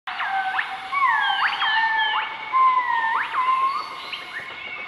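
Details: Group of southern white-cheeked gibbons dueting their morning call on 20 March 2014 in Nakai-Nam Theun National Protected Area, central-eastern Laos: loud swooping whistles, rising and falling notes with sharp upsweeps and long level tones, over steady insect drone.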